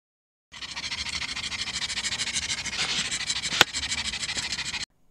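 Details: Laika, a pug nearly six months old, on her first outing at a nearby park, panting in fast, even bursts of about three breaths a second for several seconds, with one sharp click partway through.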